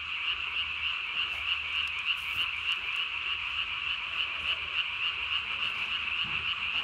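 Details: Japanese tree frog calling at night on 3 May 2020, its chin vocal sac inflated as large as its body; rapid high-pitched pulsed notes, about three per second, run steadily over a continuous trilling background.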